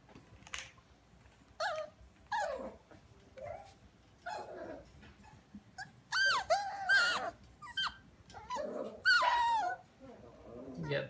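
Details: Havanese toy dog producing a run of repeated high yelps and squealing whines, some with wavering, bending pitch, in uneven bursts roughly every second, growing more insistent toward the end.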